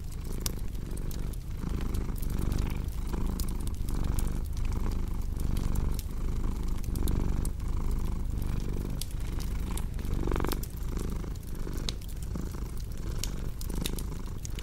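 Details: Purring cat with a cozy crackling fireplace: a steady low rumble repeating in breath pulses about every second, with scattered wood snaps and one brief louder whoosh near the end.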